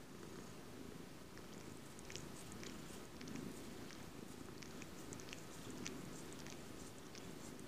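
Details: Close-up cat giving a steady, unbroken low purr that swells slightly in places, with light clicking and ticking sounds scattered over the top.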